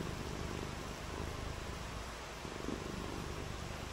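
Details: Pet cat purring during a rainy day of play: a deep, pulsing vibration that holds steady for a few seconds against a dense background hiss.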